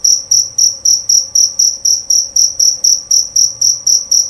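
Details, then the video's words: Male jerabang cricket giving a loud, clear song: a steady run of short, bright, high chirps, about four per second, evenly spaced for the whole stretch with no pauses. "Bunyi Suara Jangkrik Jerabang Nyaring dan Jernih"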